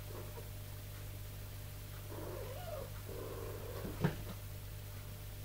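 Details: Tipsu, a mother cat, calls to her kittens while training them to climb stairs: a soft, wavering, trilled murmur lasting about a second and a half, followed by a sharp knock, over a steady low hum.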